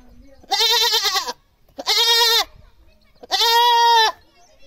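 A goat gives three loud, harsh, drawn-out screaming bleats, each about a second long.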